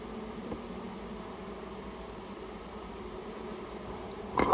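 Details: Rare Japanese honey bees nesting inside someone's storehouse, buzzing as the colony is removed at the owner's request; a steady low hum with a brighter band above it runs throughout, ending in a sudden loud clatter.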